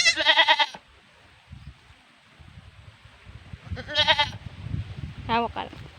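A goat gives loud, wavering bleats, one long cry followed by a second and a short third.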